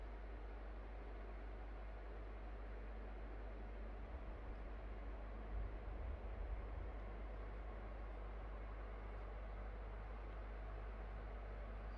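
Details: Soft steady rumble and room noise with a few low thumps around the middle, no animal voice audible.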